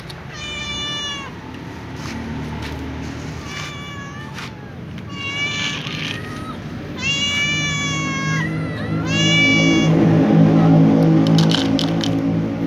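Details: A calico cat meows before walking off with other cats to eat together; several drawn-out harmonic meows, some rising then falling, come in close succession, followed by a rumbling, busier background near the end.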